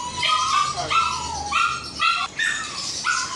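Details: Snow, a Shih Tzu on her first visit to the groomers, gives a run of high, whining yips, each a rising-then-falling harmonic cry, roughly one per second, with slight room noise behind.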